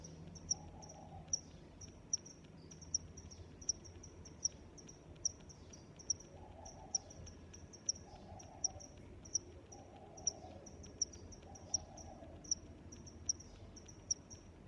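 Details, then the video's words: Steady cricket chirping, bright high pulses recurring about once per second with softer chirps in between, and brief faint mid-pitched murmurs drifting in over a quiet ambient hum. "Sounds of Crickets"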